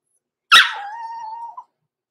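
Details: Blenheim Cavalier King Charles Spaniel puppy at six weeks old, from a small litter born November 14, 2022, in an overnight puppy pen: a sharp yelp opens straight into a long, steady, even-pitched whine lasting about a second, ending in a small upturned squeak.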